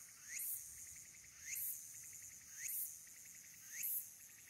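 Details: Walker's cicada sings a shrill, buzzing phrase that rises and ends in a bright burst, roughly once a second, on 22 August 2022 at the Aburayama Kannon observation deck, Mount Abura, Fukuoka, Japan, recorded on a smartphone.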